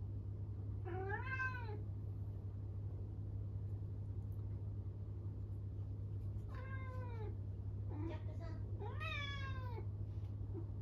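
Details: Norwegian Forest Cat, indoors, meowing loudly out of loneliness after its owner leaves; four drawn-out harmonic meows that rise then fall, two close together near the start and two more later, over a steady low hum.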